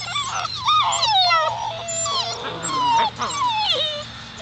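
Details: A litter of Alaskan Malamute puppies aged seven weeks, Daphne and Deuce's pups, crying together in loud, overlapping high whines that swoop and dip continuously, several voices layered at once.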